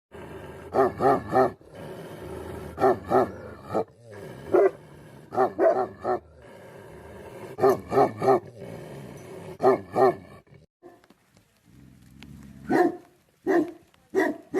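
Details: Himalayan Nepal Tibetan Mastiff guardian dogs barking in bursts of two or three deep, gruff barks, with rough, roaring tones between them. A quieter stretch comes before the final barks.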